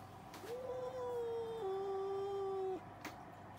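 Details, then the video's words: Cats arguing: a long, sustained yowl holding steady, then stepping down to a lower drawn-out note for about two seconds before cutting off, over a low steady background hum. "Cats Arguing | Cats Talking Each Other"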